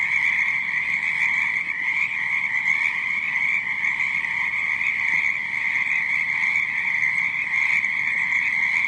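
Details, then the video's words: Frogs croaking at night in a dense, unbroken chorus: a steady, high-pitched trilling wall of many callers that never pauses, with softer overlapping croaks beneath and no other sounds. "FROGS CROAKING NIGHT TIME"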